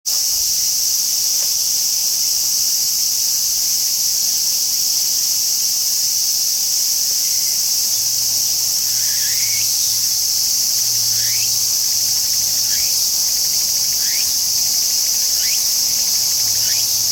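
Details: Tsukutsukuboshi cicada song: a steady, loud, high-pitched shrill buzz runs throughout, with short rising chirps repeated about every second in the second half.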